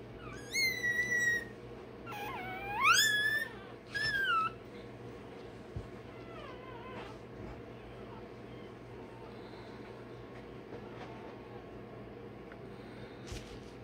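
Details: Rottweiler puppy one day old, crying while its tail and dewclaws are done: loud piercing squeals rising and falling over the first few seconds, then fading to faint whimpers under steady room noise.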